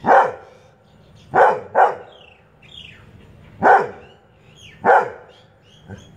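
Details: Annoyed by chirping birds, a Labrador Retriever gives five loud barks, some in quick pairs, spaced irregularly; thin rising and falling bird chirps sound between the barks.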